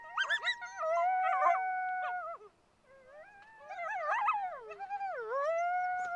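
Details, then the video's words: Group of coyotes yipping and howling together, long sustained wavering notes broken by a brief silence, then a fresh burst of yelps and swooping, falling howls. "Som de Coiote uivando"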